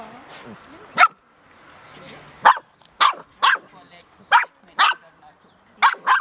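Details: Ten six-week-old Golden Retriever puppies playing wildly in a garden; sharp, high puppy barks and yips burst out irregularly, about seven in six seconds, after a soft early whimper, with quiet gaps between.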